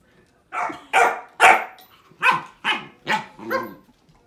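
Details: Hollie, a pet puppy, barks at a grapefruit in a run of seven quick, sharp barks, the first three loudest, with a brief pause midway and slightly lower, harsher barks toward the end.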